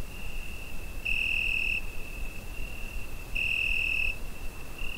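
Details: Summer-night cricket captured on a Zoom H5, holding a thin, continuous high trill that swells into two louder ringing bursts about two seconds apart, with soft low background hum underneath.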